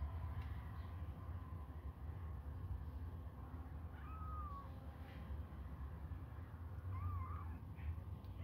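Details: Hungry kittens suckle on a finger; two short, wavering mews come about three seconds apart, soft beneath constant low droning noise.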